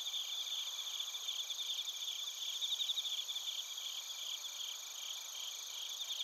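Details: Bell crickets and field crickets sing together in Narita, Chiba Prefecture, Japan, recorded with a TASCAM Portacapture X8. Rapid bright chirps stutter unevenly over a continuous high insect hum, swelling slightly mid-way.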